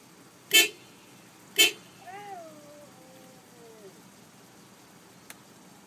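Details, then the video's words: Pet Siberian Husky responding to car horn toots: two brief honks, then a quiet, wavering howl that dips and slowly falls over nearly two seconds before trailing off. "Cute Siberian Husky Sings w/ Car Horn"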